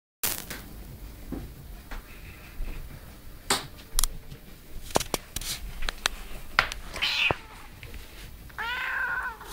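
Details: Domestic cat indoors answering its owner's talk with meows; a clear harmonic meow near second 7 and a longer falling-rising meow toward the end, amid clicks, rustling and a man's Dutch speech.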